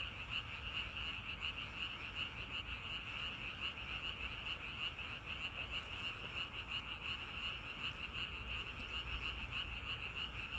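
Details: Outdoor frog chorus in nature, steady and dense, rapid repeated croaks blending into a continuous pulsing drone with a bright tone, beneath which a soft low rumble continues.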